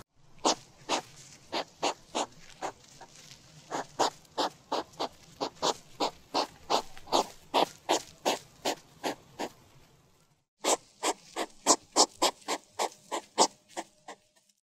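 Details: Rhythmic huffing from a hedgehog: sharp, breathy puffs repeated about twice a second, pausing briefly near the end before resuming in a slightly faster, stronger series.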